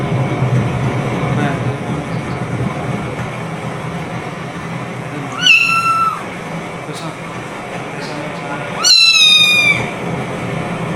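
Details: Rescued stray kitten meowing nonstop at night, refusing to relieve itself outside as if complaining of the cold: two loud, clear, slightly falling meows about three seconds apart over a steady low background hum.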